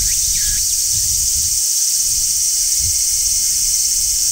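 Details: Large brown cicada singing on a tree in midsummer: even, piercing sizzle without breaks, a couple of brief swooping chirps early on, and soft low background noise.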